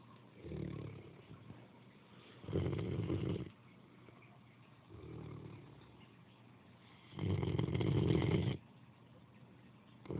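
A Great Dane snores in a slow rhythm, a softer rumbling breath followed by a louder, rattling one.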